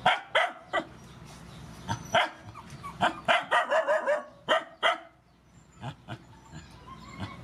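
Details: Rescue dogs, mothers and puppies, during a feeding: quick bursts of short, bright barks and yips, several in a row, fading to quieter, spaced barks toward the end.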